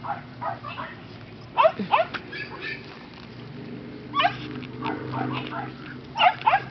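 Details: A litter of five-week-old Miniature Australian Shepherd puppies, filmed on 30 September 2011, gives short, sharp, high yips and small barks in three separate bursts, with quieter squeaks between them and faint background rustling.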